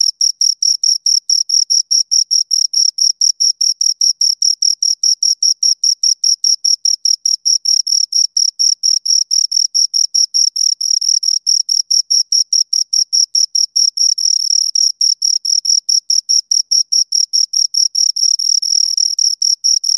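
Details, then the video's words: Two crickets chirping steadily, a continuous run of short, high-pitched scraping pulses at about four per second, with a fainter higher overtone. The trill stays even and unbroken throughout, with no other sounds. "Two Crickets Chirp Sounds"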